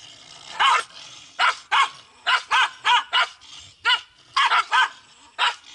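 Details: Several Pungsan dogs squabbling over home territory in South Korea; harsh, ringing barks come in irregular clusters of two or three, a dozen or so within six seconds, over a low steady background noise.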